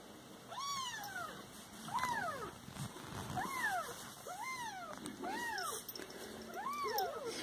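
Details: Pet Siamese cats meowing in a run of six arched, falling cries roughly one per second over a constant electrical hum and soft room noise.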